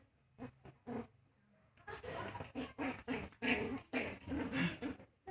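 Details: Fighting puppies: a faint low rumble gives way to squeaky yelps and rough growls tumbling over one another in quick, uneven bursts.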